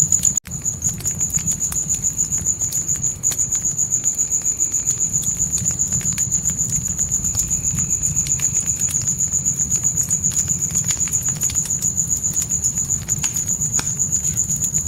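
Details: Crickets chirp at night outside a tent in the forest, a bright rapid pulsed trill held throughout, mixed with a loud snap at the start and ongoing crackling of a campfire.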